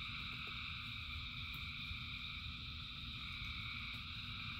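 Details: A rainy-night frog chorus of thousands of callers forming a seamless, buzzing wall of high trills, with a couple of faint nearer clicks and the deep steady wash of falling rain.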